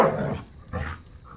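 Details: Puppy and a five-year-old black lab pitbull named Bella playing keep away and tug of war; a short low growly dog vocalisation at the start, then a second softer burst, with background hum.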